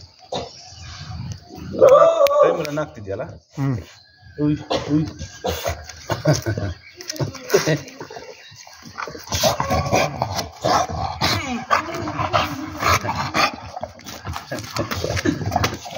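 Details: An English Bulldog gives short snuffling grunts and snorts while people talk and laugh nearby.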